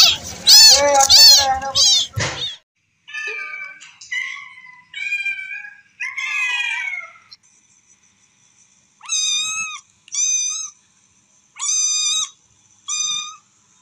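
A kitten gives high, thin meows in short bursts, calling for its mother.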